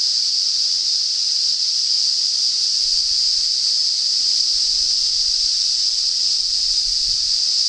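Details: Cicadas in north-east Australia heralding approaching summer; a continuous, shrill, high-pitched hissing buzz, steady in loudness, running on without pauses and with no other sounds clearly heard.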